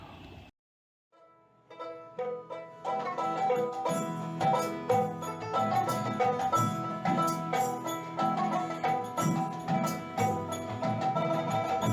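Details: After a brief silence, plucked strings and mallet percussion build into a lively, rhythmic tune with no animal calls.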